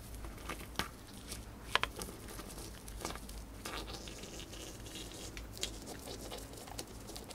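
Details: Dried corn crunched by a pet female hamster in a small indoor room: soft crinkly patter of steady nibbling, broken by a couple of louder brittle cracks.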